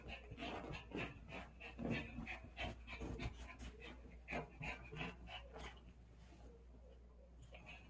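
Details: Dog excited while playing with a ball, panting rapidly in quick, steady breaths about three per second, with some soft whimpering and a faint voice in a small space.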